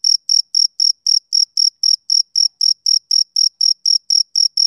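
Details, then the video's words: Summer-evening chirping by a male cricket: sharp, high, evenly timed pulses, around four each second, bright and clear against complete quiet. "Cricket Chirping Sound Effect"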